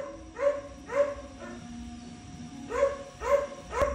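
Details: Val, a pet Chihuahua, crying in a steady run of six sharp, rising yelping whimpers, about two per second with a short pause midway, over faint background music.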